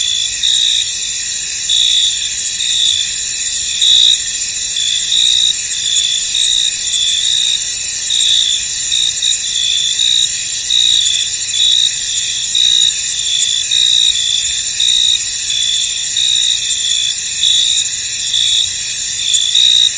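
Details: Crickets fill a misty field with an unbroken, piercing high chorus; quick repeated chirp pulses ride on top, giving a steady shimmering rhythm for the whole stretch.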